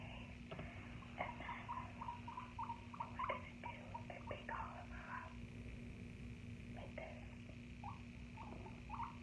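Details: Pet guinea pig in a small room utters clusters of short, low squeaky notes, several in a row, between bouts of rustling and clicking, with a steady hum behind.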